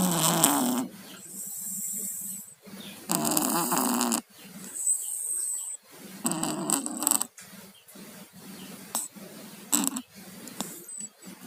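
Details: Tayen and Lilu, two pet cats with colds, snoring in their sleep: rough, rattling congested snores in bursts of one to two seconds, separated by quieter breathing pauses, with a hissy airy edge on each breath.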